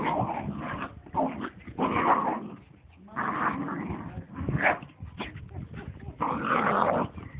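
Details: Two dogs at play in a garden, trading long, dense rumbling growls and snarls in overlapping bouts with brief gaps between them.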